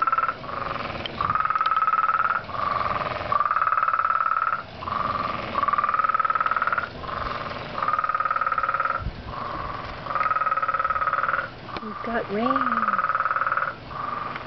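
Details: Pond frog calling very loudly in a long series of buzzy pulsed trills, each lasting about a second and separated by brief gaps, with a short descending whistle-like sound near the end.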